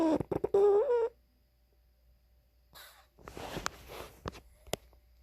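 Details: Snoring pug barking in its sleep: a muffled, tonal bark-whine that rises slightly over about one second, then a quiet pause, then rough, raspy snoring breaths with a few sharp clicks.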